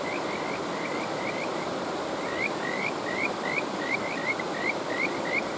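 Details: Kajika frog calls ring out as a rapid series of clear rising whistles, spaced a fraction of a second apart and growing louder toward the end, set against the constant roar of stream water.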